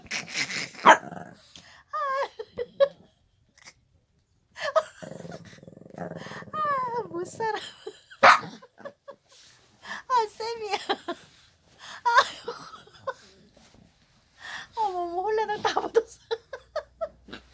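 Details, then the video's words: Shih Tzu dog indoors giving a run of whiny, wavering yelps and short growly sounds in bursts every few seconds, with people talking and laughing between and over the calls. "Shih Tzu , 시츄"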